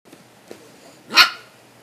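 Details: A single short, sharp bark from a black puppy belonging to a grandmother, sitting on a dark couch indoors while being teased; a brief bright burst near the end, then a person says "hey, no, no, no."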